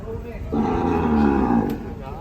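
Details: Agitated cattle give a single rough, blaring bellow lasting about a second, harsh and full, rising abruptly out of low background rumble and ending suddenly.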